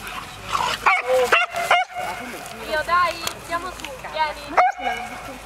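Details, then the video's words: Puppies at play in a park, a run of high, arched yips and whimpers coming in quick uneven bursts, mixed with human voices. "Puppy play"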